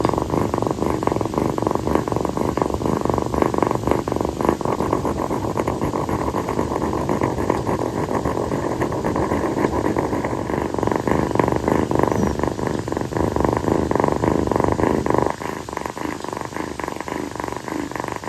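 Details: Purring rescued calico kitten resting on its owner's feet indoors on a hot night; a loud, close, continuous rumbling purr that softens slightly near the end.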